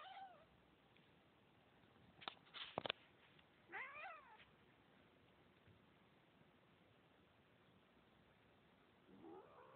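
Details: Domestic cat recorded on an Android phone, giving a short meow near the middle and another drawn-out rising meow at the end, with a few sharp clicks or taps and quiet room hiss between calls.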